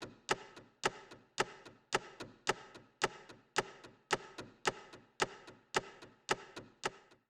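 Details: Only sharp, regular wooden tapping or chopping is heard, in close pairs about twice a second, with no animal voice.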